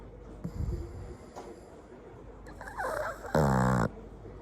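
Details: Flat-nosed pug and toy poodle mix dog snoring: soft snuffly breaths, then a loud buzzing, strongly harmonic snore lasting about half a second near the end.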